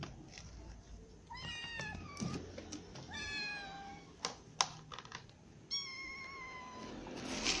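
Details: Ginger cat, little cats, a baby kitten and the mother cat having dinner together; several rising, harmonic-rich meows repeat across the stretch, each about half a second, amid tapping, clicking and feeding noises.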